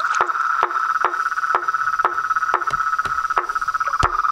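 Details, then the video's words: Evening frog and toad chorus at a reservoir facing a veranda: loud knocking notes with short low tails, spaced about every half second, over an unbroken high trilling wash from many callers. "A SINFONIA DOS SAPOS, RÃS E PERERECAS"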